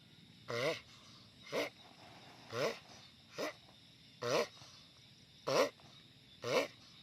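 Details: Loud vocalizing from a giant sulcata tortoise, seven rough grunts roughly once per second, each opening with a low wobbling harmonic tone that breaks into a raspy burst, with quiet gaps between.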